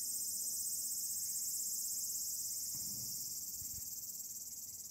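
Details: Tsukutsukuboshi cicada singing on an early August evening, 8 August 2022, the day after the calendar start of autumn: a steady, loud, high shimmering buzz with fine rapid pulsing, fading slightly toward the end.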